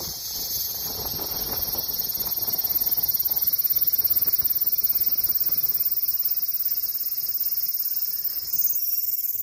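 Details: Cicada song as a high, rapidly pulsing buzz that builds in loudness over the first few seconds, then holds a fast, regular throb before a slight shift near the end.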